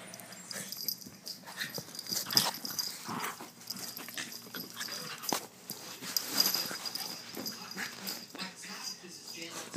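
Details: Chubbles and Cuteness, two pet dogs, wrestling roughly as one rolls on the ground; wheezy huffs, snorts and sharp breathy bursts come in uneven clusters, with occasional human voices nearby.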